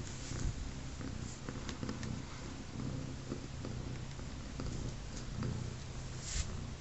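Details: Sugar, a three-legged mother cat with a litter of three kittens 24 hours old, purrs in a deep continuous rumble that swells and fades in regular pulses, with light rustling and small clicks on top.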